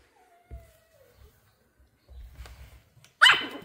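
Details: A female Pomeranian puppy, excited on meeting new kittens for the first time, gives a soft, falling whine then a single sharp, high bark.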